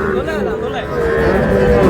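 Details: Sahiwal bull calf at a cattle market where a Dhaka farmer buys calves on 16 July: one drawn-out tonal moo, steady and then rising slightly, heard over loud bargaining voices and crowd chatter.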